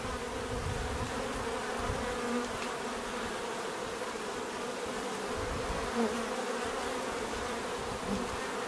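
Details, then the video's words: Dense, even buzzing of numerous bees, a thick humming drone with rich overtones and faint low rumbling underneath, steady for the whole stretch. "bees therapy relaxing natural buzzing sound"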